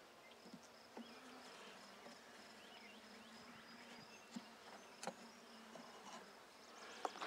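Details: Buckfast honey bees at an opened handmade hive while comb is pulled out for inspection, 23 May 2009. A continuous low buzzing drone runs throughout, with scattered clicks and taps and faint bird calls overhead.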